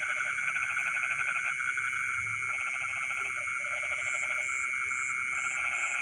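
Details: Rice-field frogs at midnight calling almost continuously, dense rattling pulsed croaks overlapping one another, with an even high insect whine and a faint repeated high chirp in the last two seconds.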